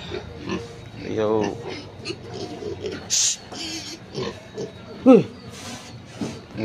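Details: Native pigs on an organic farm around feeding time give short harmonic squeals, one drawn-out wavering squeal early on and a sharp rising-falling cry later, with a person talking throughout and some clatter.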